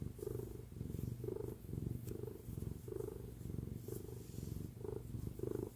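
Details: Domestic cat purring while lying on mom's lap, a steady low rumbling purr that swells and fades in rhythmic pulses about once a second with each breath.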